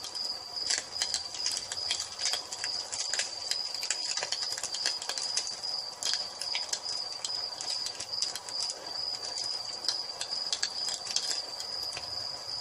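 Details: Evening cricket chorus by a fireplace, a continuous high-pitched ringing trill held without pause, while dense crackling and snapping of the fire scatter through the whole stretch.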